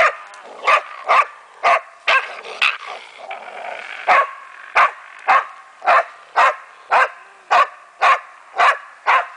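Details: A German Wachtelhund confronting a raccoon dog gives a long run of sharp, ringing barks at a fairly even pace, roughly two per second, with softer whines and rustling between some barks.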